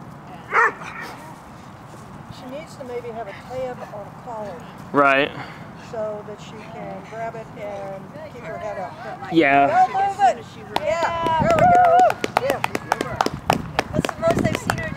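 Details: River, an 8-month-old dog in club protection work training, barks while lying down, biting a jute wedge: single harmonic barks near five and nine seconds, then a rapid burst of repeated barks, with a person talking throughout.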